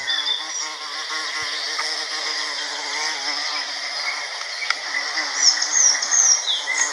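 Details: An American bumblebee (Bombus pensylvanicus) pollinating Salvia clevelandii flowers gives a steady, low droning buzz that wavers slightly as it moves.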